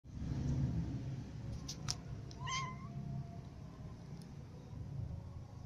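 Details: Little cats eating crackers; a single short, rising then falling meow midway, amid low crunching and chewing noises and a few sharp clicks.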